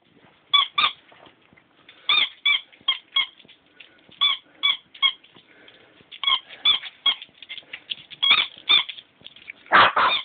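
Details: Ten-week-old Bichon Frise puppies giving high, squeaky yips and short barks in quick bursts of two to four, with brief pauses between groups and a louder, harsher yelp at the very end.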